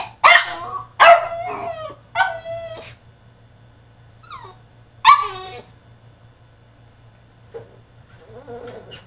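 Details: Tantrum from a French Bulldog in his cage: three loud harsh yelping barks in quick succession, a short whimper, another barking yelp, then soft whines, with a low background hum.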